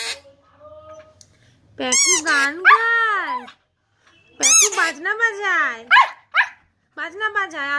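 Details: Siberian husky, including a puppy, howling and singing: arched, strongly harmonic wavering howls in three bursts, rising and falling, with short yelping breaks between and silence gaps; no other clear sounds.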